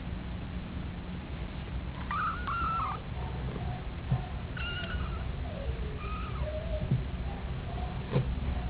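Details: Week-old kittens, four of them with their mother, one with eyes already open: thin, high mewing squeaks around 2 to 3 seconds and near 5 seconds, fainter mews after, over a steady low background hum.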